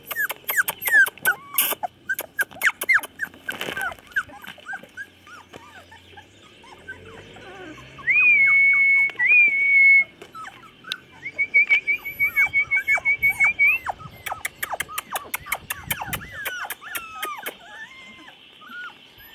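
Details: Chocolate Labrador puppies, 24 days old, recorded 8/11/2014: thin high whines and squeals, some drawn into long steady whistle-like tones, among rapid sharp clicks and taps throughout.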